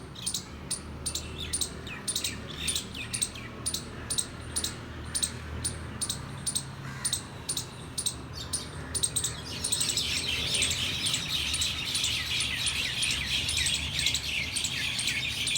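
A squirrel gives sharp, high chirps about three times a second, then breaks into a rapid, buzzy chatter.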